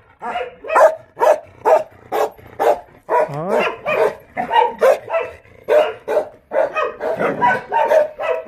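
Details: Jindo dogs at the Jindo Dog Theme Park kennel in Jindo County keep up quick, continuous barking, several barks per second at times, with a brief wavering yelp partway through.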